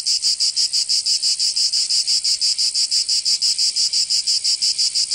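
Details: Cicada song on a summer day in Provence, southern France: piercing, metallic rasps pulsing about three times per second in a tight, even rhythm.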